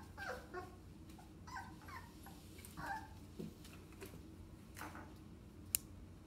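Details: English Springer Spaniel puppies, 2.5 weeks old, all together at a breeder in Manchester, Tennessee; short high whining squeaks and yips from several pups overlap at irregular intervals, with a faint low hum and one sharp click near the end.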